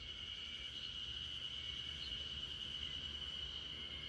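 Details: Spring cicadas in a backyard chorus, a Great Pyrenees named RunRun falling asleep to it as a lullaby; steady high shrill drone holding one pitch throughout, dense and unbroken, with faint low rumble beneath.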